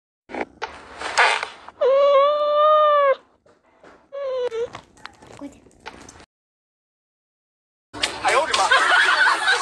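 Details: Cats at play give drawn-out, tonal meows, one long steady meow followed by a shorter falling one, with bursts of rustling and handling noise and a loud scraping burst at the end.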